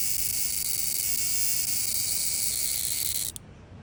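A cicada gives a loud, steady, high-pitched buzzing drone that stops abruptly.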